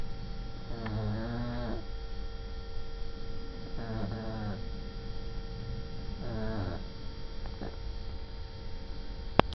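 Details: Shar Pei named Coki snoring: three long, low, rasping snores with a buzzy ridged texture, each lasting about a second and spaced roughly every two and a half seconds, over a steady electrical hum.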